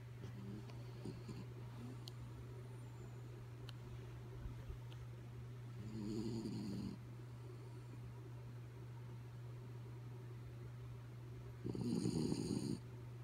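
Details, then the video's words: Dog Kaya Boo asleep and snoring: soft breaths and faint clicks, then two rough rumbling snores about six seconds apart, the second louder, over a steady electrical hum. "Sleepy Kaya Boo Snoring"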